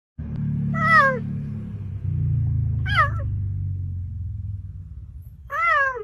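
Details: A cheetah, which cannot roar, makes brief, clear meows much like a house cat's, each sliding downward, spaced a couple of seconds apart, over a steady low rumble.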